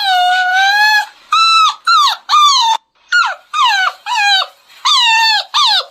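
A beagle gives high, ringing yelps in quick bursts, each note arching up then sliding down.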